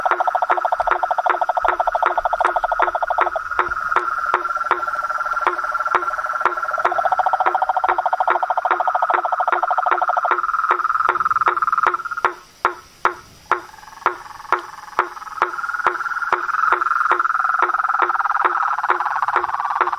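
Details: Toads, frogs and treefrogs calling in nature: layered pulsed trills and regular clicking notes, several callers alternating, with a brief quieter spell midway before the chorus swells again.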